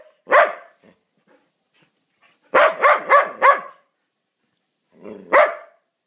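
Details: A Mudi lets out one loud bark, falls quiet for nearly two seconds, bursts into four rapid barks in close succession, then gives a final single bark after another pause.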